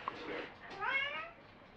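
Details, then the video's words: Pet cat Me, whose meow syllables are interpreted as requests such as going out or protest, gives a soft, brief meow after a faint murmur. "Párbeszéd a Me nevű cicámmal"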